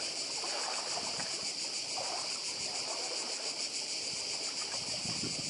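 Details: Strong, dense cicada buzzing on Badija island in Croatia, a bright rattling hiss throbbing evenly throughout, backed by quiet surf.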